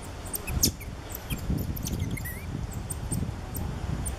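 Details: Captive cotton-top tamarins with two ten-day-old infants carried on the father's back, Alma Park Zoo, November 2013, Canon SX50: scattered high squeaky chirps and one short rising whistled call, with a low background murmur throughout.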